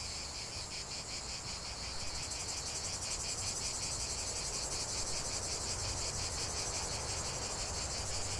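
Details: Steady cicada chorus, high and rasping, beating in fast regular pulses. It swells slightly louder after the first two seconds, with a faint low hum underneath.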